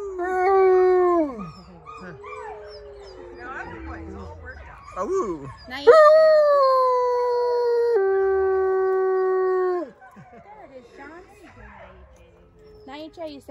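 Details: Wolfdogs at a New Jersey farm join a guide in a group howl: several overlapping long, smooth howls, some falling in pitch, others held level for about two seconds, with brief yips and voices between.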